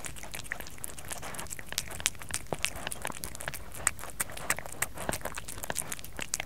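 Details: Kerry the cat eating indoors in a small room, recorded close for ASMR; dense crunchy chewing with sharp crackling clicks several times a second and soft biting noises throughout.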